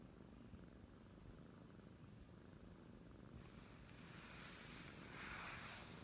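An Oriental Shorthair kitten purrs, a soft, steady low rumble with quick pulsing beats.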